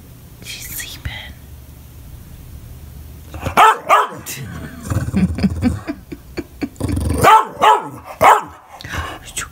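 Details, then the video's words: English Bulldog throwing a fit indoors, barking and crying when not being played with; sharp barks in bursts, short whines, and human speech in the room. "My English Bulldog that sounds like an Ewok when he throws a fit!!!"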